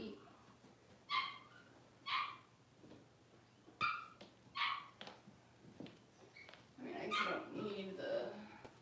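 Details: Six-week-old Cavalier King Charles Spaniel puppies indoors during deworming and toenail trimming: high, thin whimpering yelps with bright overtones, roughly one each second in short bursts, then a denser jumble of whines, handling noise and murmured voices at the end.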